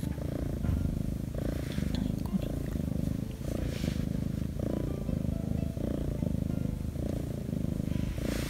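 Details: Korean shorthair kitten Shattongi, a former stray, purring contentedly during petting; thick low rumble in regular breath-paced surges, with faint brushing sounds from the owner's hand.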